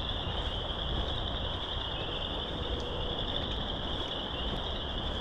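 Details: A dense frog chorus in a marsh at an arboretum in March forms a steady high-pitched shimmer over a low rumble of wind noise.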